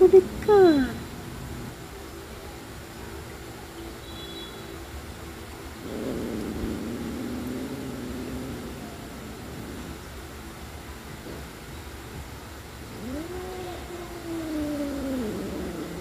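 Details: Pet cats Adi and Asia squabbling, a short sharp cry early on, then quiet rustling and, near the end, a rising, bending yowl lasting about two seconds.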